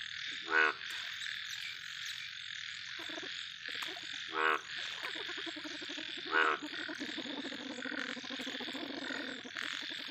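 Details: A big yellow frog gives three loud, harsh, pulsed croaks spaced a few seconds apart, over a steady background chorus of other frogs and high insect buzzing.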